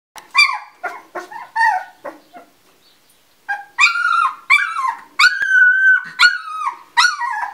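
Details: Two-week-old Labrador Retriever puppies from a litter, just finding their voices, give high whining yelps and whimpers. Each cry slides downward and is strongly tonal, with short bursts and then a longer run of cries after a brief pause.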